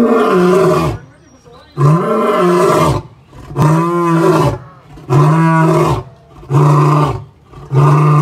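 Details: A male lion at the Indianapolis Zoo, just up, gives deep, powerful, low-pitched grunting roars about a second each in a steady series; he is kept from the females and the owner suspects loneliness.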